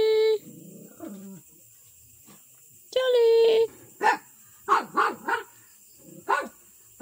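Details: Miniature pinscher indoors: a high whine at the start, a longer whine near three seconds, then several short sharp barks, with a man speaking Filipino to the dog and a steady electrical hum.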